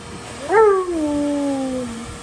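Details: Alaskan Malamute, a giant dog upset after getting wet, gives one drawn-out cry that jumps up sharply then glides slowly downward over more than a second, clear and harmonic.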